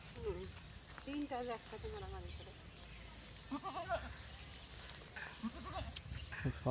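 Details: Young goats eating grass and playing on a field; several quavering, wavering bleats in the first two seconds, a few shorter bleats later, with people talking nearby throughout.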